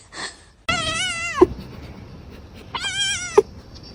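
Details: Indoor domestic cat giving two drawn-out, clear meows about two seconds apart, each holding a steady pitch before dropping at the end, with a faint brief sound just before the first.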